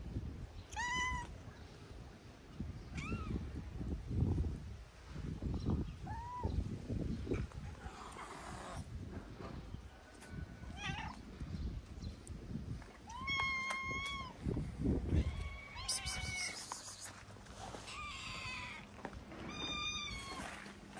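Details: Skinny female calico stray cat in Morocco, fed on the street, meowing loudly out of hunger: about eight clear, bending meows, some rising then falling, spread over the stretch, over a low rumbling background.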